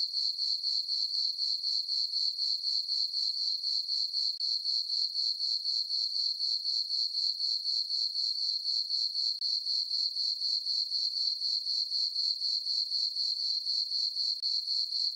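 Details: Summer-night crickets in a moonlit farm meadow, a continuous piercing trill throbbing in quick, even pulses roughly four per second throughout, with nothing else audible.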